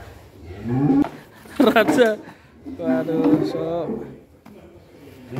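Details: Fat cattle lowing in two drawn-out, wavering bellows with a rich, buzzy tone, each about a second long, separated by a short pause, with human voices and knocking sounds nearby.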